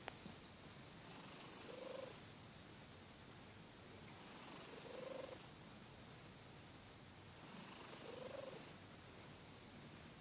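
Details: Cat snoring loudly indoors: three drawn-out, breathy snores, each about a second long with a faint hissing whistle on top, repeating every three to four seconds.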